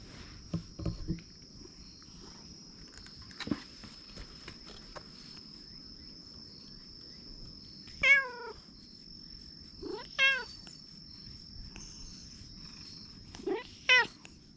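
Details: Stray cats met at a Japanese shrine, filmed on a GoPro: three separate plaintive meows, each rising then falling, spaced a couple of seconds apart, over soft rustling and a steady high electronic whine.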